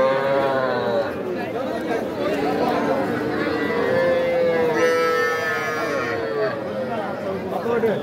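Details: Cattle at the Aftabganj cattle market in Nawabganj, Dinajpur, on 5 September, where small bull and heifer calves are sold; drawn-out, low, tonal lowing rises above the constant chatter and bargaining voices of a crowded market.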